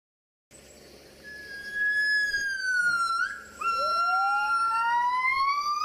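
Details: Gibbon giving a loud, sustained tonal wail that slides gently downward, breaks briefly, then resumes and climbs steadily upward, rich in clear overtones over a quiet background.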